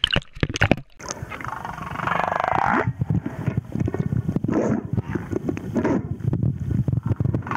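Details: Male humpback whale singing off Moorea: a drawn-out wavering moan in the middle, framed by bursts of clicks, rasping pulses and grumbling underwater rumble.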